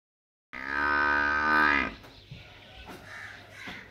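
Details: A water buffalo calf in a village gives one long, nasal, harmonic bleat that rises slightly and then cuts off.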